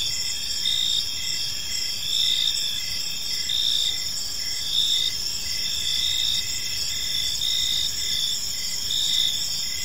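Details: Park crickets at evening: sustained high buzzing trill with quick regular chirps repeating about every half second, loudness gently rising and falling.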